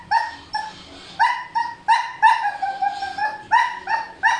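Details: Male Siberian Husky made noisy by a female in heat, yelping and whining almost nonstop, with short high harmonic cries repeated roughly three times a second and some drawn-out whines between.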